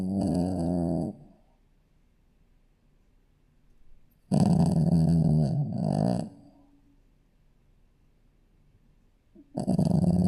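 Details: Shih Tzu puppy asleep, snoring; harsh, throaty snorts lasting one to two seconds, each followed by a few seconds of near silence before the next.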